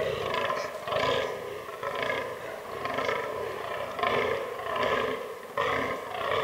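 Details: Autumn rut of fallow deer in forest: a buck's raspy, belching groans come in a quick series, about seven in six and a half seconds, loud and harsh.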